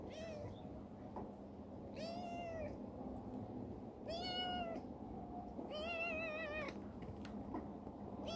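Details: Rescued black female cat Chibikuro, once wary and now very affectionate, meows four times in a warehouse, each call long and arching, the last one wavering, roughly every two seconds against a constant low hum.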